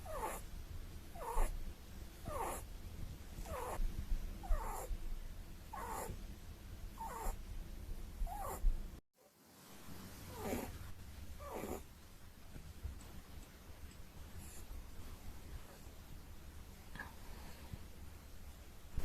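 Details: Snoring from a Holland Lop rabbit as it sleeps, quick breathy snorts roughly every 0.6 seconds at first, then after a short break slower, fainter snores fading out against a steady low hum.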